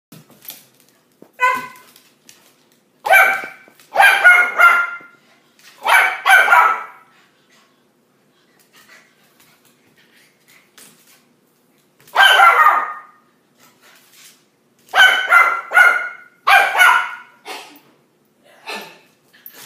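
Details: Two dogs playing together, a Miniature Schnauzer and a Pointer/terrier/lab mix, with sharp harmonic barks and yaps in bursts: a short run near the start, a dense cluster around three to seven seconds, then more barking at twelve and fifteen to eighteen seconds.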